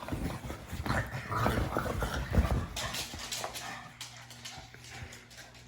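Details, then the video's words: Pug noises: a run of low snorting, snuffling grunts mixed with a brief whimper, close and irregular, with faint room noise behind. "Funny Pug Noises"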